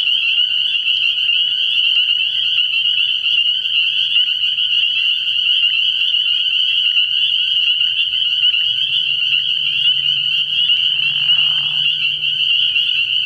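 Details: Night chorus of spring peepers at a frog pond in early year: countless shrill peeps merge into a steady, unbroken high wall of sound, joined late by a low hum and a short rasping burst.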